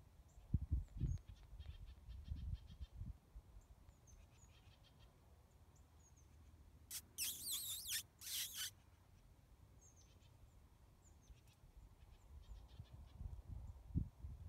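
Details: Central Texas coyote: a sudden burst of loud, strained yips lasting under two seconds midway through, with faint high bird chirps scattered before and after and low rumbling background noise.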